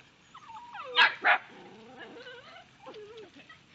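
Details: Dachshund and companion dogs barking at ducks: two loud barks in quick succession, followed by whiny, wavering yelps that rise and fall, with a person speaking nearby.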